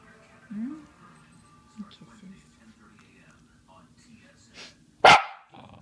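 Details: A Shiba Inu gives a few soft, low whines, then a sudden loud, harsh yell at his owner; he yells whenever she sneezes, sniffles or coughs.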